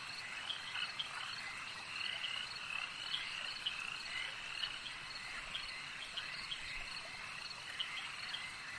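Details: Lakeside frog chorus: many overlapping high croaks and trills blend into an unbroken shimmering hum, with brief louder pulses popping out irregularly throughout.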